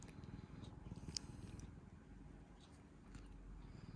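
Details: Indoor rescued cat in Japan, spring 2022, giving a close, low, pulsed purr that runs without a break, with a sharp click partway through and light rustling above.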